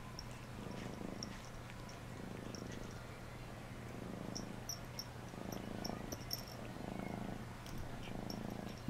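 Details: Cat named Phluffy purring during a bath, a continuous low rumble rising and falling in slow breaths about once every one to two seconds, with scattered small water drips and splashes.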